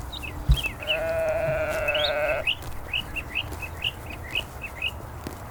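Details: A single long, steady, nasal bleat of about one and a half seconds from one of the lambs grazing in a cool green forest. Bright bird chirps repeat quickly around the call, about twice a second, and a brief knock is heard near the start.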